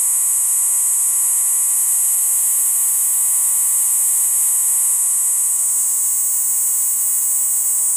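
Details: Cricket, the jhingur of fields and forests, calling at night to attract a mate; one steady, intense, high-pitched trill continues without pause, with a faint electrical hum underneath.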